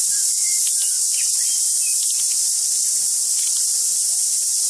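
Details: Extremely loud cicada chorus recorded on a day when the singing was deafening: a steady, shrill buzzing wall of sound without pauses, over which a few faint whistled bird notes from tuis appear in the background.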